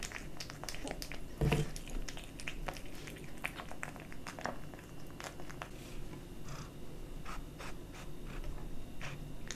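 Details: Close crunching of dry and wet cat food by a kitten, with one louder knock early on, then steady chewing clicks over a low background hum.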